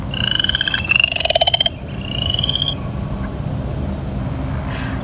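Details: An upland chorus frog, heard around a pond at Lake Anna State Park in spring, gives a quick, rising trill of clicks like a fingernail run along a comb.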